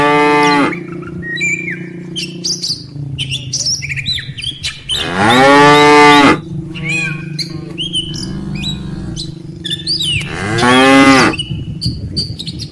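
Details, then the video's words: Tame herd cattle on their way from the rice-field grass to the barn, mother cows with calves. Three loud moos spaced about five seconds apart over a steady low hum, with scattered bird chirps. "suara sapi moo"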